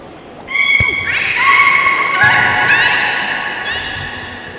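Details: Beluga at Port of Nagoya Public Aquarium during a public training session, 13:30 show on 18 July 2016; a sharp knock, then overlapping squeaky whistles, some steady and some rising and wavering, fill the reverberant indoor space for about three seconds.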